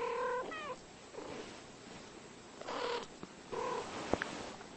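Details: Domestic cats talking, giving short harmonic meows and chirps near the start, again around the third second and near the fourth second, with a soft purr-like rumble and faint background hiss.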